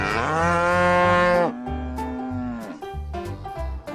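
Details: Cattle lowing in two long, steady moos. The first lasts about one and a half seconds and the second is slightly higher and shorter. Both are rich in harmonics, with rhythmic background music underneath.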